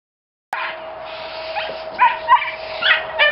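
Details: Belgian Malinois giving a short run of high, thin yips and whimpers, three sharper squeaky bursts in the last second and a half, over a steady electrical hum.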